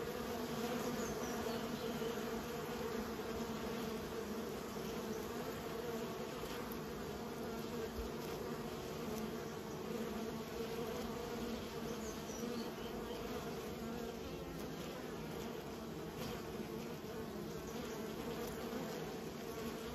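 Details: Continuous buzzing from raised bees, a thick, even hum layered with a higher tone, faint flickers of single insects passing close, and an unbroken background drone throughout.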